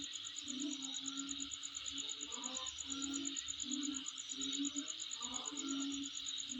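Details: A steady, piercing insect chorus at home, pulsing quickly and evenly, with intermittent low hooting notes and faint rustling underneath.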